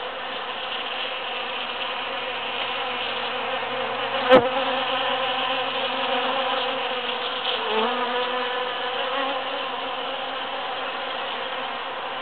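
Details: Busy bees foraging through huge cactus flowers after the June 22, 2013 Super-Full Moon: a steady, droning wingbeat buzz with layered harmonics, a brief dip in pitch near eight seconds, and one sharp click around four seconds.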